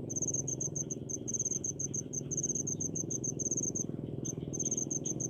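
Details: Cricket singing in rice paddies in rural Indonesia. Quick, bright pulsed chirps repeat in regular bursts, with one brief gap after four seconds. A steady low rumble of background noise runs throughout.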